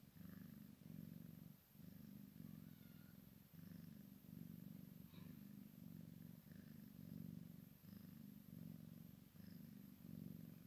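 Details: Purring from a Maine Coon x Sphynx cross, kitten at play with mama: deep throbbing purr in regular breath cycles, a short pause near the second mark, small squeaky scrapes and taps in the background.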